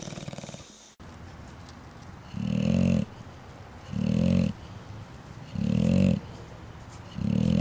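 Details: Sleeping bulldogs recorded March 4, 2010, snoring in deep, rough, low-pitched rasps, four long snores spaced about every one and a half seconds with quiet breathing between them.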